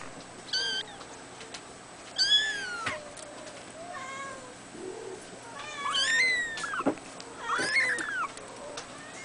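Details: Two-week-old red male Abyssinian kitten, born 22 April 2010, indoors: about five thin, high-pitched mews, each rising then sliding down, spaced by quiet pauses with faint rustling.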